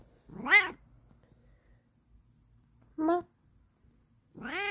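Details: Bengal cat giving three clear meows, rising then falling in pitch with strong harmonics. A short, clipped meow sits between two longer, drawn-out ones in a quiet room.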